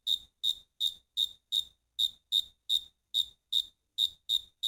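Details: Singing crickets give a rapid, regular series of sharp high chirps, nearly three per second, each burst ringing and pulsed, clean against a silent background.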